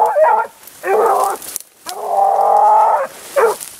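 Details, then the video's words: Dog Grapa of Vallezano following a wild boar trail outdoors, giving loud drawn-out bays: two short ones, a long steady howl of about a second, then a brief final yelp, with quiet gaps between. "GRAPA DE VALLEZANO EN RASTRO DE JABALI"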